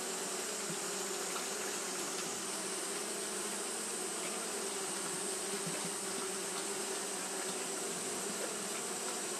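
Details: Japanese honey bees keep up their fanning through a hot day, making a continuous whirring hum with a strong low band and a thin high hiss above it, level and unchanging.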